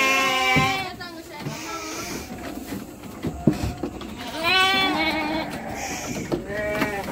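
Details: Young Garut sheep, lambs about three months old, being shipped to Purwakarta; wavering, nasal bleats come in bursts, some overlapping, with quieter bleats between them and faint background noise.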